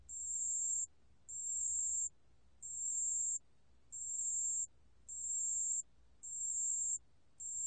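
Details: ["Pale bell cricket recorded by Korea's National Institute of Biological Resources in 2020, ringing a shrill, steady, bell-like trill in seven evenly timed bursts of under a second, with brief pauses between them."]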